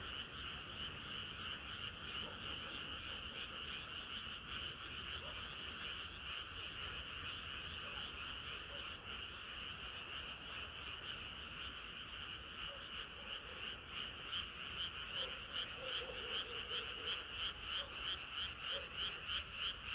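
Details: Frog chorus on a hot summer night: many frogs croaking together in a dense, continuous, pulsing mass of rapid repeated notes, roughly three per second, with no other clear sounds.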